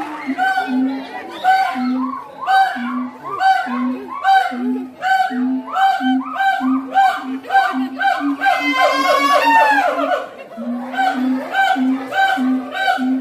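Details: Siamangs at Ragunan zoo chorus with steady deep booms under loud, hooting notes that rise into a wavering scream.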